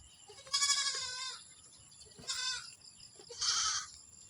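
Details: Domestic goats from a large kept herd, one giving three wavering, nasal bleats with rich harmonics: the first long and quavering, then a short one, then a third medium-length bleat, with faint background hiss between.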